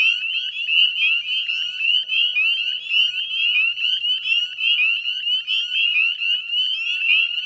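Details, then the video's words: Evening wall of northern spring peeper calls from the salt marsh at West Chezzetcook, Nova Scotia, 18 May 2020 at dusk: piercing ascending whistles from many frogs stack into one unbroken ringing chorus. "Northern Spring Peeper Chorus"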